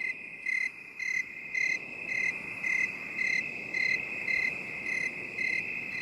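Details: Cricket chirping in 8D binaural audio meant for stress relief: eleven crisp, high pulses at an even pace of nearly two per second, with a constant ringing hum underneath.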